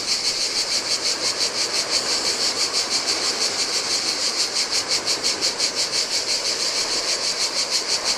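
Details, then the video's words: Chorus of cicadas in summer heat at a lonely Greek island beach on the Adriatic, their high rasping drone throbbing roughly three times each second, with gentle surf splashing underneath. "Cicadas by the Sea - Ocean Waves & Cicada Sounds"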